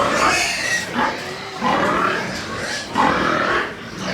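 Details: White pigs on a pig farm in Nepal giving four harsh, noisy squealing calls about a second apart, each a broad rasping burst with a brief tonal edge, separated by short pauses.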